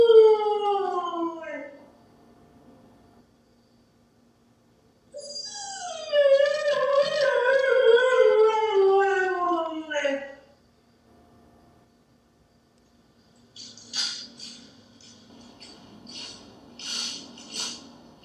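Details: A husky waiting for her owner to come home gives two long, drawn-out howls that slide steadily downward in pitch, the second lasting about five seconds.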